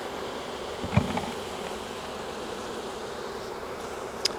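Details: Steady mid-pitched droning of a wild honey bee swarm as beekeepers catch it from a tree branch, with a single dull thump early on and a faint click near the end.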